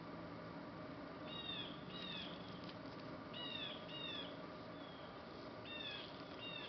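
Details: Three rescue puppies, a Labrador Retriever and Bullmastiff mix, give high, thin whimpers that slide downward, mostly in pairs spaced a second or two apart, over a steady low background hum.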